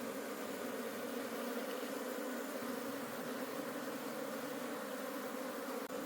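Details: Wild honey bee colony in a forest during a wild honey harvest, the colony being taken home to keep. A steady, dense droning hum with a low-pitched core and a faint hiss over it, unbroken throughout.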